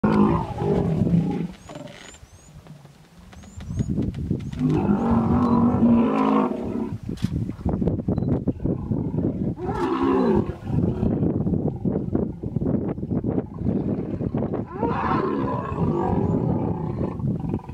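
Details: Hippopotamus stand-off in the Vurhami River, Kruger National Park, South Africa: a female in defense mode protecting her young against an approaching male. Deep rumbling roars and grunting bellows come in bursts, with faint bird whistles overhead.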